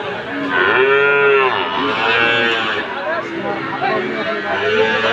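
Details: Friesian and Sahiwal bull calves at Ambari market, Dinajpur, Bangladesh, 27 September 2024; one calf gives a loud, drawn-out moo rising then falling, followed by softer moos over a busy background of talking people.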